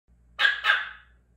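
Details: Pomeranian crying because it wants a bath; two short whines in quick succession, the second longer and trailing off, in a quiet indoor room.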